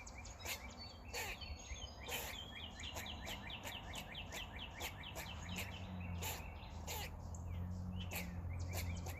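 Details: Squirrel on a roof, making noises while eating: a long, steady series of short, sharp chirps, about one or two per second, with loud clicks mixed in and a person's voice briefly nearby.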